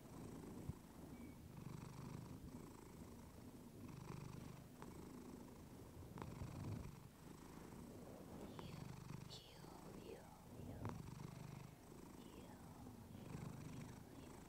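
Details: Pet cat Clementine, female, purrs into a fluffy mic: a steady low rumble swelling and easing in regular breaths of about two seconds, with faint high chirp-like sweeps and small ticks in the background.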